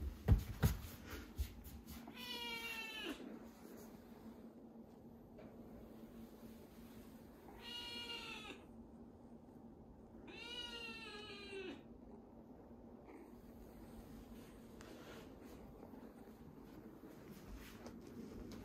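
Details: Chirol, a rescued kitten on its tenth day in care, said to eat well and cry a lot, lively after a film crew's visit. Three drawn-out, arching meows come at wide intervals over a steady low hum.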